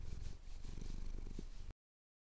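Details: Male cat purring as his chin is scratched at sunrise over the Cotswolds, Tascam DR-07X recording; under two seconds of low throbbing purr before cutting to silence.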